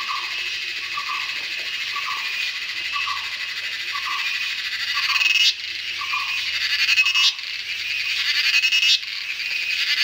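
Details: Cicadas in the Western Ghats jungle of India during the monsoon fill the air with a dense, high buzzing that swells in waves, with a soft repeated note beneath.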